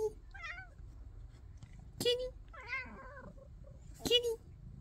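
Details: Indoor house cat giving several short, bending meows, one early and a longer wavering one near the middle. Brief sharp knocks punctuate the clip, and there is quiet room noise in the background.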